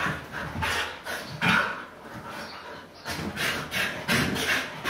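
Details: Pet Siberian Huskies having fun on a couch, with rhythmic, hissy panting and scuffling bursts about twice a second during rough play indoors.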